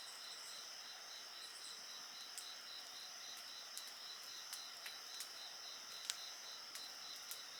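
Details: Insects singing in a continuous chorus: a steady high buzzing band with a faster pulsing trill just below it, while a bonfire pops and crackles with sharp clicks throughout.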